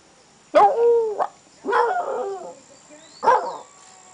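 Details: Canela, a female pet dog eager to go for a walk, 'talks' in three drawn-out, moaning harmonic vocal bursts about a second apart, each rising then falling; a steady high electronic tone hums underneath.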